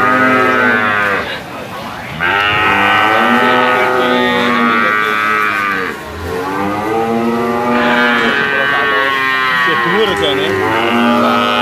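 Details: Jumbo sacrificial cattle, 500 kg and up, in a pen at weighing time; long, sustained moos with rich harmonics, two main bellows separated by a brief lull.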